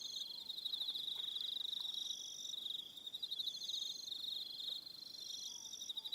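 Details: On Aroha Island, New Zealand, crickets trill through the evening, a bright rapid pulsing at one high pitch, with short, higher pulsed phrases layered over it from other callers.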